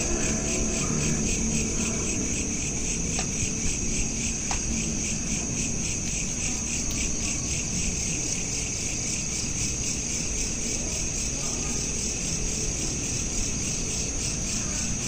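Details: Night ambience of crickets captured with a smartphone: continuous rapid high-pitched pulsed chirping forming a shimmering band, over steady low background rumble, with a couple of brief clicks.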